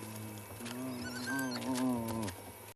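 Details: Two spotted hyena cubs of the female Ribbon squabbling over a leftover scrap of fur at Djuma Private Game Reserve; a drawn-out, steady nasal whine with rich harmonics lasts nearly two seconds, then drops away at the end.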